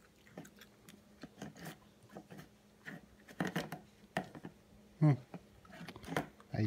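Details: Quiet human speech in a small room, mixed with soft chewing and tapping, and no barks or whines.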